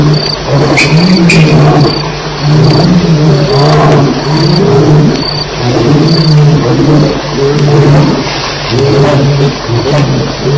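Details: Lions at Elephant Plains during a night fight on 9 July 2010, near 2:11am. Deep, sustained growling rumbles swell and fade in waves, layered with harsher snarls, beneath a constant high cricket chirp.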